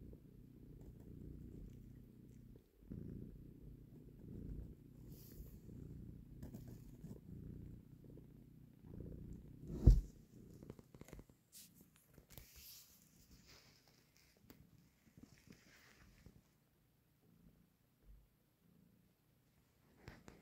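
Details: Cat purring while a mother cat takes her kitten from someone's hand. A low purr runs for about nine seconds, then a sharp thump, followed by scattered rustling and handling noises that fade toward quiet.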